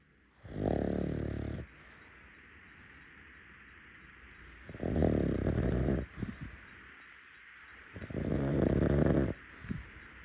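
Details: Rescue pug napping on a futon, snoring: three loud, rough, low rasping breaths about a second long, repeating every three to four seconds, with quiet pauses between.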